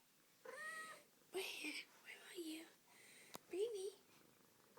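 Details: A Siamese cat gives short, tonal meows asking for breakfast around 5 a.m., while a person whispers softly nearby.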